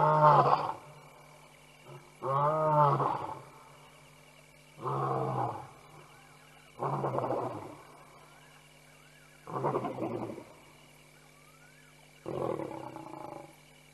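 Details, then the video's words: Lions at the Tembe Elephant Park waterhole cam at night in September 2022, the F70 family and male M179 roaring: six deep, harmonic-rich roars, each under a second, repeated about every two to three seconds, with a steady faint hum behind. "4 Lions ~ Nightime Roars"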